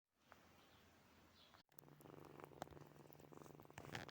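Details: Sleeping kittens named Snowy, Furry and Zoe: after a brief quiet stretch and a sudden cut, a low, steady purr begins and hums continuously, with soft rustles and a few faint higher squeaks near the end.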